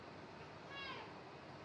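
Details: Aoi, a young male cat home from the vet and slightly tense, utters a single brief meow that rises and then falls, with faint harmonics above the main tone and a constant low hiss beneath.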